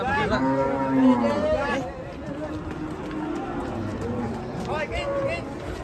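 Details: Angry cattle giving strong, wavering moos, a loud call at the start and another toward the end, with people talking and a faint crowd murmur behind.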